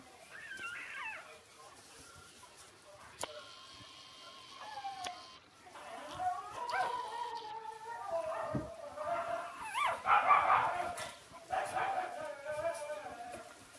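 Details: Six-day-old Shiba Inu puppies whimpering and squealing, thin wavering high cries rising and falling, more frequent and louder toward the end, with faint background noise.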